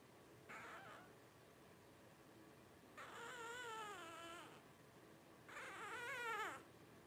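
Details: Newborn blenheim Cavalier King Charles Spaniel puppy, twelve days old, one of a litter of five born New Year 2023; three bursts of wavering, harmonic crying whines, short then longer, each bending up and down, separated by quiet pauses.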